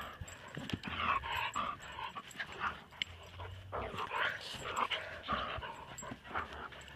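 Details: Two dogs, a large borzoi and a small dog, interacting at close range: a dense run of whiny, yelping dog vocalizations with some panting, and a person's voice mixed in.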